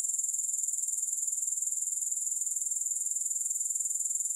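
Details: High, bright buzzing of grasshoppers with no music, made of rapid steady pulses that hold one unbroken level throughout.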